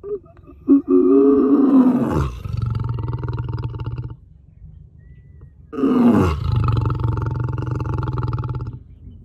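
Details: Lion at a zoo roaring: two loud, deep bursts, each opening with a harsh rising moan that drops into a long, low rumbling tail, separated by a few seconds of quiet.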